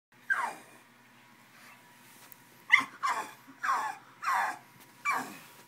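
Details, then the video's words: Angry pug trying to get to a bottle, giving short whiny yelps in a burst of one then five more, each a brief falling cry around the middle pitch range, with a faint steady hum underneath. "Angry Pug"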